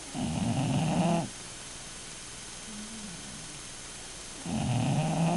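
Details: Snoring bulldog: a rasping low snore, then a quiet pause with a faint soft sigh, then a second rough snore begins, in slow breathing rhythm.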